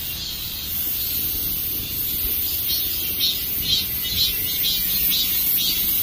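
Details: Dozens of cicadas perched on a tree sing a dense, shrill late-summer chorus, a last song before summer ends, with a steady hiss and pulses about twice a second.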